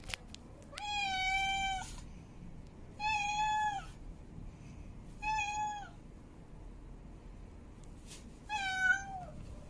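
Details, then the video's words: In heat, a female cat gives four sustained meows about two seconds apart, level and tonal with a downward bend at the close, the final call rising then dropping, against a soft steady hiss. "Female Cat In Heat Meowing Mate Calling"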